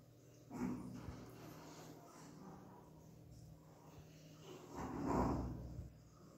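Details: American Bulldog puppies giving two short, low, throaty grunting whimpers, one near the start and one after five seconds, separated by quiet indoor background with a steady low hum.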